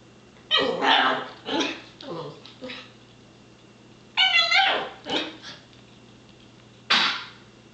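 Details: Miniature schnauzer at play with a house cat indoors, giving loud harsh barks and yips in irregular clusters, one a tonal whine with strong harmonics, separated by quiet gaps over a constant low hum.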